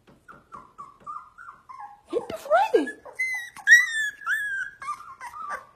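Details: Husky producing drawn-out, wavering howl-like cries that rise and fall in pitch and grow louder partway through, with a person's voice talking alongside.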